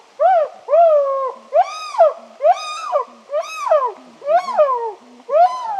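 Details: Three wild chimpanzees very close to the crew in the Ugandan rainforest give loud, rich rising-then-falling hoots, seven in about six seconds, with soft low grunts in the gaps between.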